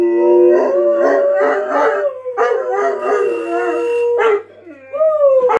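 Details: Saint Bernard 'singing' in loud, sustained howls: wavering, rich-toned notes that slide gently downward, a short pause near the end, then a rising then falling final howl.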